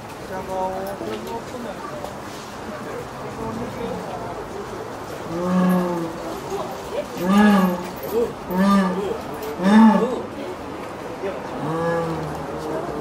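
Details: Ruth, a caged jaguar at Tennoji Zoo, calling on an evening in October 2017 toward the neighbouring enclosure where the jaguar Jagao stays. Arched, moaning tonal calls, several in a row mid-clip, over a murmur of visitors' voices.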